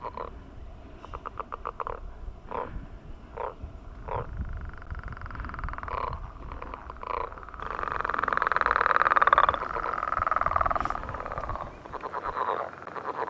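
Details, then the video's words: Frogs calling to mate on a millrace in the morning: spaced short pulsed bursts, then a louder drawn-out buzzy trill that swells and fades, over low background rumble. "Enjoying The Mating Call of Frogs on the Millrace"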